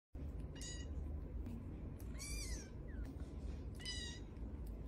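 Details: Domestic cat, a little one, meowing: three high harmonic meows with a slight rise and fall, roughly one each second and a half, plus a short soft chirp, over a steady low background hum.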